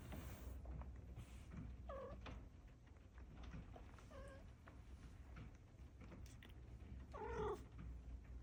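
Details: On a rainy day, a yawning Maine Coon cat gives a few soft, bending meows over a low steady hum.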